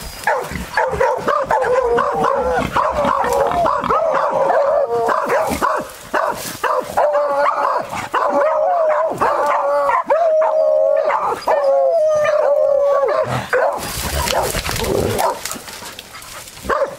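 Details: A beagle hunting wild boar gives near-continuous excited baying, overlapping yelps and drawn-out wavering howls, with a sustained whining cry near the middle and rustling movement toward the end.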